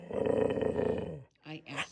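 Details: Pet dog described as a barkaholic, vocalizing over its owner indoors: a sustained, tonal, growly moan lasting over a second, then a woman's voice speaking briefly.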